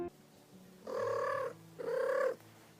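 A domestic cat gives two short, rolling trills, each a brief chirping burble about half a second long.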